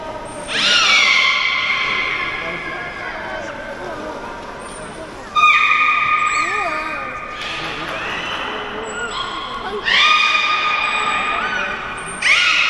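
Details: Captive beluga, Port of Nagoya Public Aquarium, Japan: a series of long, level, strongly harmonic whistles, each starting abruptly and trailing off, roughly every four to five seconds, mixed with short chirps over constant tank hiss.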